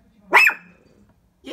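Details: Shih Tzu barking at its reflection in a window indoors: one short, sharp bark with a quick rising then falling tone, followed by silence.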